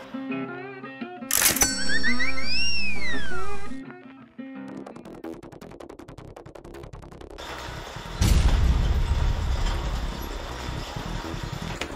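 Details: Upbeat music plays with cartoonish sound effects, including a sliding whistle-like swoop and a loud crash, over a bass-heavy beat, with no animal voice.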